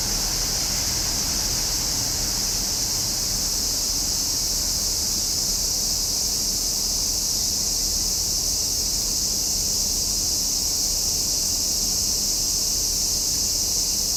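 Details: Dense, even drone of summer cicadas dominates, a bright sustained buzz with no gaps, with little low-frequency background.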